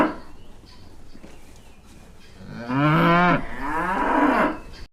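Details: After a quiet start, a cow gives two moos in quick succession, the first louder and wavering, the second slightly shorter, with faint background hiss.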